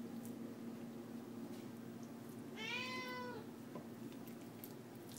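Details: Pet cat indoors, begging for chicken being cooked: one drawn-out harmonic meow lasting under a second, rising then falling, over a steady low room hum with a person talking to the cat around it.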